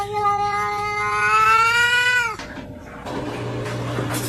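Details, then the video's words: Domestic cat giving a long, steady, slightly rising drawn-out meow lasting about two seconds, rich in harmonics, followed by quieter room noise. "Very Funny Cat Sounds & Behaviors"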